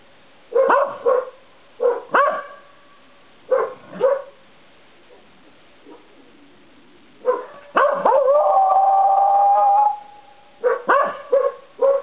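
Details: A corgi at night on a porch gives bursts of short, wavering yips stretching into a drawn-out steady howl, with another dog barking behind the front door in the background.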